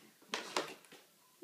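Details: Pet cat sneezing indoors: two quick sharp bursts of breathy noise a quarter second apart, then a faint third puff, with a person's voice starting at the end.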